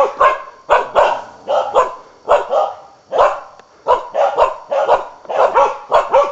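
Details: Hunting Karelian bear dog baying at wild boar: rapid, insistent barks in quick pairs and triplets, harsh and loud, with brief pauses between bursts and a reverberant outdoor setting.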